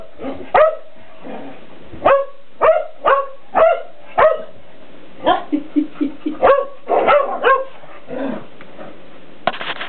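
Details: Shelties playing with a cat toy in the house, a cat dodging nearby; a steady run of sharp barks about every half second, a busier cluster of yips and barks later, then fading scuffles.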